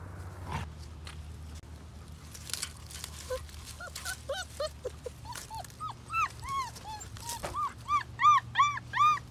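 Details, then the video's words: Doberman puppy, a she, at play with Togo, giving a quickening series of high, arched whimpering yelps that grow louder toward the end, over faint background hum. "Togo is playing with a Doberman puppy He loves her"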